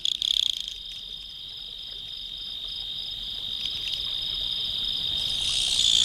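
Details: At night, a cricket trills steadily in a high, continuous ringing chirp of about four pulses a second, over a soft hiss of night ambience.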